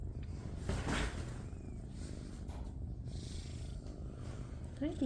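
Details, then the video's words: Tabby shelter kitten purring, a low continuous rumble under a brief burst of a person talking near the start, with a faint squeak near the end. "Shelter Kitten Tabby Troupe Take Over the Room While Ledger Deafens World With Purrs!"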